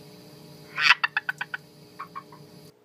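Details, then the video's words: Captive red-eyed tree frogs calling: a quick run of dry, clicking chucks, then a few softer ones. "Red eye tree frogs calling and eating"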